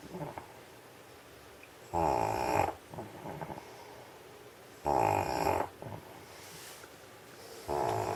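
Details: Stray old dog sleeping off a sausage meal on a heated studio floor in Sheregesh; three loud, rasping, throaty snores about three seconds apart, each lasting under a second, separated by quiet indoor hush.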